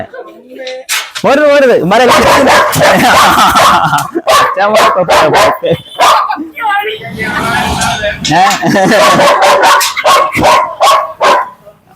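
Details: German Shepherd described as a biting, aggressive dog, barking rapidly in harsh broadband bursts, several a second at times. A man calls it over and talks nearly continuously throughout.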